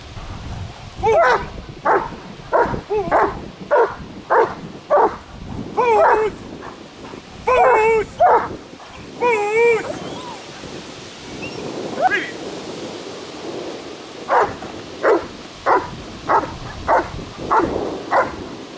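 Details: German Shepherd during protection training, barking in a long series of sharp, regular barks, several drawn-out higher whining yelps in the middle, then steady barking resuming; a man's voice speaks Dutch just afterwards.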